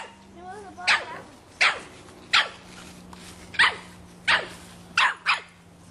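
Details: A 3½-month-old Boston Terrier puppy barks at a soccer ball: sharp, loud yaps repeated roughly every 0.7 seconds, seven or eight in a row, with faint voices before the first bark.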